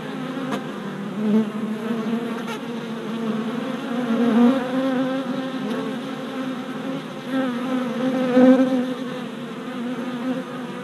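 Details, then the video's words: Many honey bee workers circling a freshly installed hive on orientation flights in late April 2017, GoPro recording; a thick, steady buzz with a low hum and brief louder surges as individual bees pass close. "Honey Bee Orientation at Hive"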